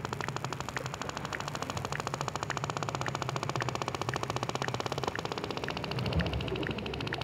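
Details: Sperm whale producing a long series of rapid broadband clicks, several per second in a regular rhythm, with fainter louder accents roughly twice a second over low rumbling background noise.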